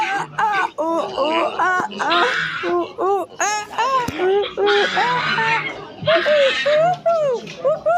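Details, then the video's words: Silvery gibbon hoots: quick rising-and-falling notes in clusters, broken by short harsh noisy bursts, the phrases quickening and climbing in pitch. "The Silver gibbons sound effects"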